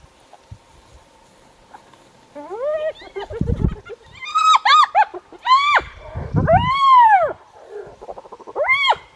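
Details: Spotted hyenas, adults and young, squabble over a kill, possibly leopard leftovers, in the bush on a cool, windy day, with overlapping arched squeals and whinnying cries.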